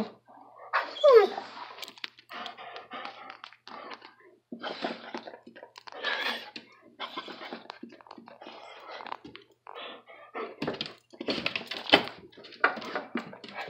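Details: Jake, a Border Collie, chattering with excitement indoors: a run of short, broken, breathy vocal bursts in uneven clusters, with a quick squeaky rising whine near the start and brief pauses between bursts.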